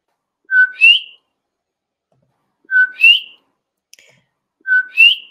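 A male common coquí gives its whistled two-note co-QUI, a steady low note then a higher rising one.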